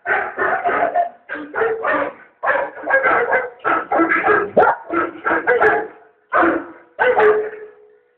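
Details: Barking dog, Junior, reacting to the Volkswagen The Bark Side commercial from 2012: clustered groups of three to four gruff barks with short gaps, almost tune-like in rhythm, with a faint musical background.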